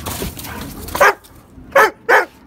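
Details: Dobermann in a spring outburst of playful madness; three short, sharp barks, one near the first second and two close together toward the end, after a stretch of muffled rustling noise.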